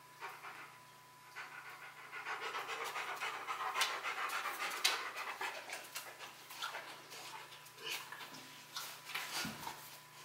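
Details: Rottweiler named Bruno working through a box maze challenge, confused at first before reaching the prize; rapid, breathy panting in quick broadband bursts, several per second, rising and falling in strength, with a faint steady tone beneath.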